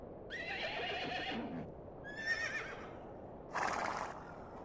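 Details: Mongolian horse in Erdenesant district, Töv Province, Mongolia. A drawn-out quavering neigh fades into a lower rough tail, then a shorter wavering whinny follows, and a harsh snorting burst closes the sequence against soft background noise.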